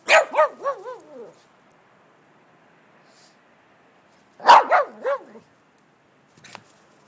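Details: Shih Tzu named Mollie racing around wildly in snow, filmed 21.06.2011; two bursts of three to four high, yappy harmonic barks separated by a few seconds of quiet, then one brief faint sound near the end.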